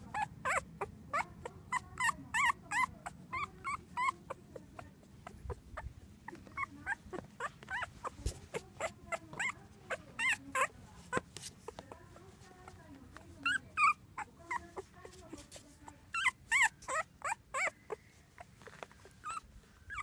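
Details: Newborn English Cocker Spaniel (field) puppies, a litter of four males, squeak and whimper in quick, high, overlapping bursts.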